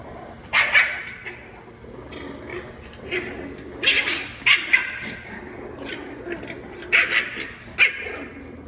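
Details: French Bulldog puppies playing wildly indoors, giving sharp high yips and short barks in irregular bursts, roughly six clusters over nine seconds, with quiet gaps and low room hum between.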